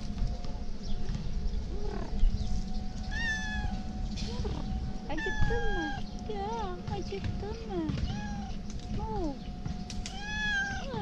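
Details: Male cat with a white tail tip, wanting affection rather than food: a long series of short, bending meows, some rising and falling, repeated every second or so, over a steady low rumble and a constant hum.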